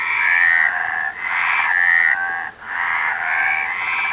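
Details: Frogs calling together in a dense chorus of raspy, pulsed croaks, the sound swelling and briefly dipping about every second and a half, with faint high whistles above.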